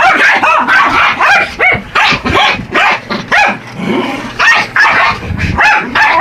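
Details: Buddy and Elmo, two Yorkies, assault an R/C truck, letting out sharp staccato yaps in quick succession, some deeper growled barks and a low rumble from the toy vehicle midway.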